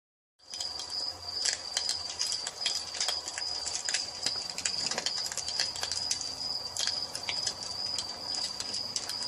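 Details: Crickets at dusk in a nature setting beside a fireplace: one steady, unbroken high-pitched trill runs throughout, overlaid by frequent sharp crackles and pops from the burning fire.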